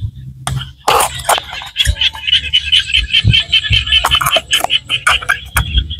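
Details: Small frogs calling in the rice-field countryside of Cambodia: a steady run of high, pulsed notes repeating several times per second, overlaid by scattered louder clicks and low thumps.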